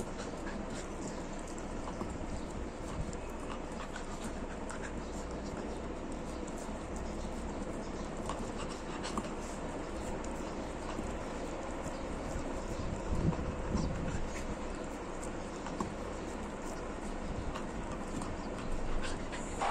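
A Rottweiler puppy chews steadily, with soft, broadband gnawing and crunching close to the ear.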